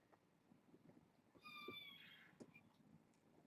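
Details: Young foster kitten, one of a litter born August 29, meowing at bedtime indoors: one drawn-out high meow of nearly a second that slides slightly downward, with low room murmur and small knocks around it.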